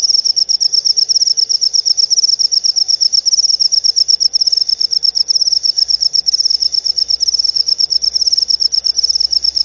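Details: Cricket chirping, played to drive rats away from pet birds at home and used by bird keepers to lure lovebirds; a steady high pulsing trill of rapid chirps, loud and continuous, with faint low hum beneath.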